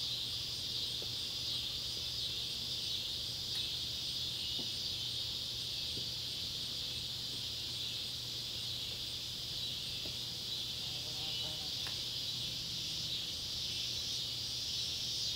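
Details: High continuous whirring of Neotibicen pruinosus and Neotibicen tibicen cicadas at an old Kentucky tobacco barn in Ballard County as the sun sets, July 31, 2013, with brief faint ticks and a steady low hum underneath.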